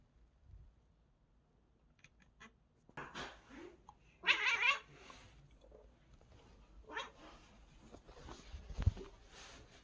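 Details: A cat reacting to a bird seen outside, making strange sounds: a few noisy, breathy bursts, one brief louder harmonic cry near the middle, and a low thump near the end, in a quiet indoor setting.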